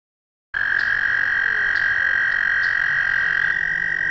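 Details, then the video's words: American toad giving a loud, steady, high musical trill that starts abruptly after a brief silence and holds unbroken at one pitch to the end, with faint higher overtones above it. "American Toad - Calls"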